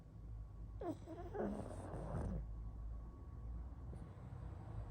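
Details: Pug asleep and snoring, giving a wheezy, whining snort with wavering tones for about a second and a half over a steady low hum, then quiet breathing.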